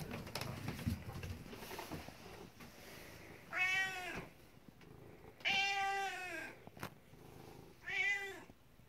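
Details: Rescue cat asking to be fed in the morning, giving three separate meows roughly two seconds apart, each a short bright wail that bends downward, following soft indoor noise.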